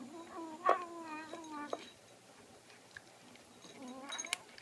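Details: Sophie, a pet cat, vocalizing while eating indoors: a steady, drawn-out harmonic hum lasting nearly two seconds, then a quieter pause before a brief, higher murmur near the end. Faint clicks are audible in between.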